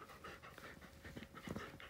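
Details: Siberian Husky indoors at home late at night, near midnight, after coming over to greet its owner; rapid soft breathy panting in quick, even puffs, with quiet background hiss.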